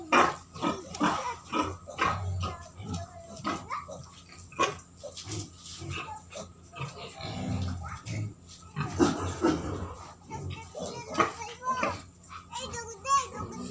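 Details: White pigs at a pig farm in Keonjhar, Odisha, giving low, rough grunts in short irregular bursts with brief squeaky calls between them. Scattered noises and faint voices are heard in the background.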